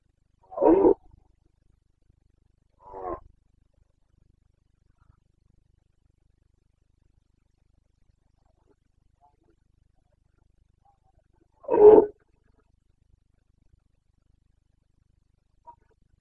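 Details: Roaring Carpathian stag, a red deer in the breeding-season rut in Bucovina, Romania, 29 September 2022. Three rough, guttural bursts, the last one loudest, widely spaced over about twelve seconds of otherwise quiet forest.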